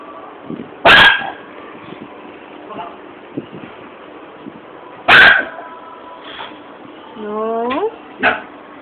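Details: Two normally docile, quiet Schnauzers, fascinated when first introduced to caged hamsters, give a few sharp, spaced barks and a brief rising whine.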